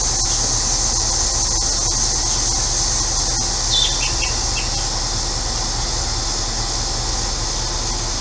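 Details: Cicadas droning on a hot day in central Illinois, a constant high, hissing buzz; a bird gives a few quick chirps midway, and a neighbour's air conditioner hums low beneath.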